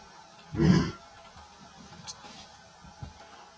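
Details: A male lion, recorded with his lioness in the Masai Mara on 12 September 2024, lets out one short, deep, throaty roar, followed by quiet low rumbling.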